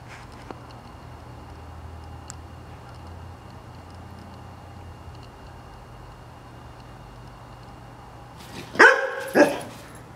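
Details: Eleven-month-old Bernese Mountain Dog giving two loud barks near the end after a long quiet stretch of faint room noise and low hum.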